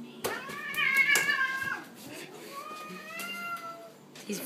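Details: Jasper, a male pet cat with a hair clip fastened to his tail, reacting badly and freaking out indoors: two drawn-out tonal meows, the first about a second long, the second longer and slowly falling, with people talking over them.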